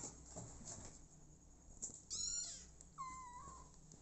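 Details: Motherless kittens settling in with an adoptive mother cat: two high, thin mews about a second apart, the second a longer falling cry, over a low indoor hum and light rustling.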